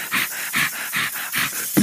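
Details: Dogo Argentino dog panting: five rhythmic, breathy huffs, evenly spaced about every 0.4 seconds, with a brief sharper sound at the end.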